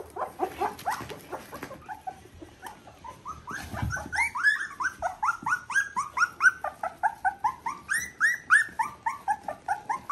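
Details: Litter V2 Border Collie puppies, aged three weeks, sired through Ori and Cru, give a steady run of loud, high, arching whines, one about every third of a second, sliding up then down, after some lower grunting squeaks at the start.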